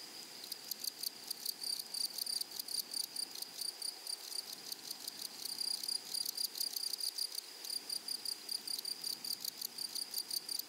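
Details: In a flowering meadow or prairie, grasshoppers produce a long run of crisp, high-pitched buzzy chirps in rapid clusters. The chirps are densest toward the end and rise over a soft, steady outdoor hiss.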